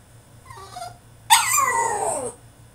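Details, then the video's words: Caged French Bulldog in a tantrum lets out a faint whimper followed by a loud, sudden cry that slides downward over about a second; low steady hum underneath. "FRENCH BULLDOG THROWS TANTRUM IN HIS CAGE!!"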